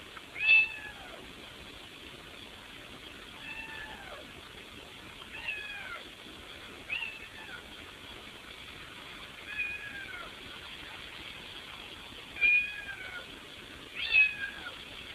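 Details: Cat trying to fit through a window to get into the house, meowing repeatedly: short arched meows with falling tails, about seven across the stretch, spaced irregularly one to three seconds apart, over faint steady background hiss.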